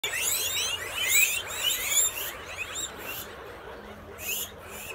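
Guinea pigs wheek in shrill, overlapping squeals that rise and fall in quick bursts.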